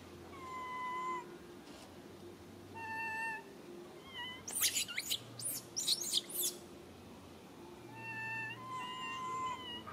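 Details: Little monkey Lily crying for her mother: clear whistled cries with ringing overtones, some level, some gently rising, then a burst of shrill, wavering screams in the middle before the plaintive whistles return, over a constant low engine-like hum.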